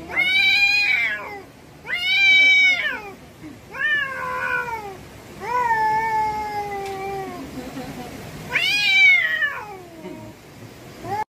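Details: Cat screaming in a small room, a series of long strained yowls, some arching up and falling, others held flat and slowly dropping, with short pauses between cries and a last sharp rising wail.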